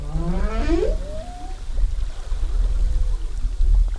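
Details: Humpback whale singing off Zamami, 2018, captured during whale watching: a stacked upward-sweeping whoop ending in a short high tone, then a faint flat moan amid steady low water and boat rumble.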